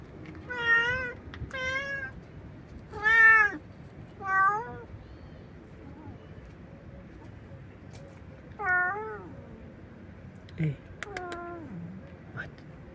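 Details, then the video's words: A homeless stray cat meows loudly and without pause: a run of about seven bending, wavering meows, some rising and then falling, spaced irregularly one to three seconds apart, with faint background rumble. "A stray cat meows loudly and nonstop"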